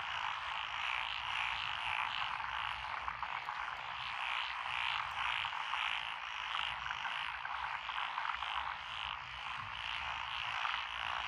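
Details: Frog chorus from lotus rice paddies along a country road in Echizen, Fukui, Japan, recorded 12 June 2021, with tree frogs, pond frogs, wrinkled frogs and Schlegel's green tree frogs calling: a dense, continuous croaking wash with rapid pulsing throughout.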